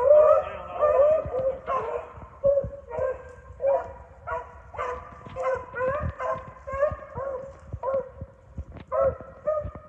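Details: Several dogs chasing swamp rabbits give a steady run of tonal, yelping bays with short howled notes, overlapping and repeated about every half second to second, with brief quieter gaps between bursts and a faint rustling background.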